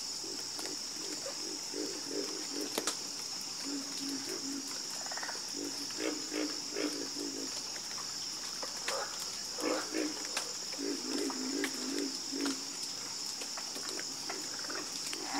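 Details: Chorus of frogs at night, low throaty croaks in irregular clusters roughly three per second, several callers overlapping, with a continuous shrill insect drone behind.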